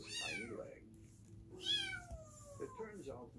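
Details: A kitten at the vet, having its hurt leg examined, gives two high, strained meows that slide downward, the second longer and drawn out, over a narrator's voice and a low room hum.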